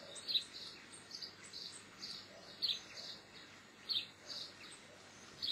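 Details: Geoffroy's marmoset, the white-headed marmoset: short, high chirps and whistles come in irregular bursts, with a few sharper, louder notes standing out over a steady background hiss.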